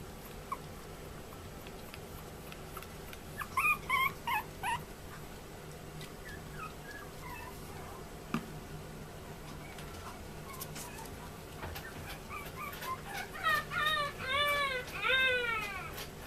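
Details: Male Chihuahua puppy born 30 July 2014, at a pet shop in Yokosuka, Kanagawa, Japan: short high yips near the start, then a rapid series of thin, arching whimpers and squeaks toward the end over steady background hum.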